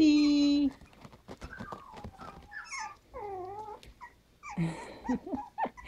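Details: Havanese puppies from a litter of seven, three females and four males, at five weeks old, giving short high whimpers and rising-falling whines after a steady held tone at the start, with faint voices nearby.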